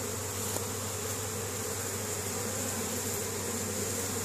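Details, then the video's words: Honey bees foraging in spring at their hive in Caribou, Nova Scotia, Canada, 10 May 2015, hauling pollen home: a short stretch of dense, even buzzing from many bees with a faint tap near the start. "Honey Bees spring foraging"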